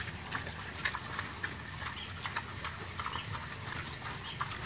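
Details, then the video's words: Captive wild boar kept in a pen, feeding busily, recorded 24.08.22; rapid crunchy chewing clicks and smacking sounds come several per second over a low murmur, without grunts or squeals. "Ăn riết chuyên nghiệp luôn - Heo Rừng Nuôi Chuồng"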